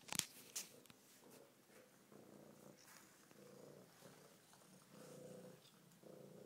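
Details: F1 Savannah cat, a very friendly female, purring loudly during a vet visit while head-butting the table; a low, steady rumbling purr in pulsing bands, with a few sharp knocks near the start.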